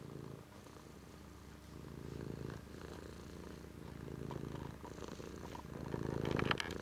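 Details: Rumbling cat purr rising and falling with breathing, growing louder near the end, where a few sharp clicks and rustles are heard.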